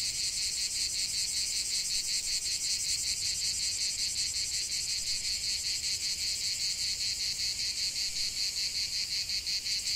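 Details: Cicadas singing in a lavender field: a dense, continuous high-pitched buzzing chorus, rhythmically pulsing about two to three times per second, steady throughout with no other sounds.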